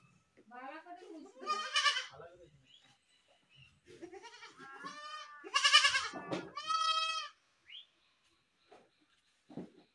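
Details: Goat screams and bleats, loud wavering cries rising and falling, clustered between two and seven seconds, with some mixed vocal sounds and quieter gaps after.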